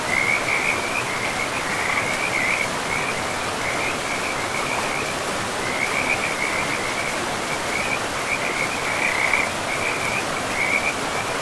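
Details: Frog chorus at a forest river among moss-covered land: bright, rapidly pulsed trills repeat in runs of one to two seconds across the whole stretch, layered over continuous flowing-water hiss.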